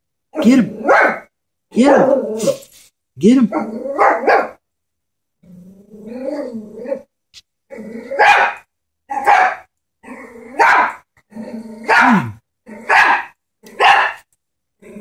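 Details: Chihuahua scared of a stuffed toy horse, barking in short sharp bursts, first in clustered growly yaps, then steadily about once a second toward the end, with a voice talking in between.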